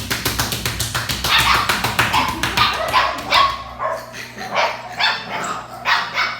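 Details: Playing Belgian Malinois puppies: a fast run of regular clicking taps opens, then overlapping shrill yips and barks come in uneven bursts, with a low steady hum underneath.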